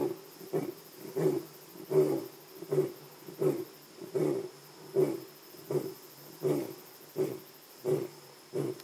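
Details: A lion in Jejane Private Nature Reserve, South Africa, gives a run of deep, throaty grunting roars, repeated about every three-quarters of a second.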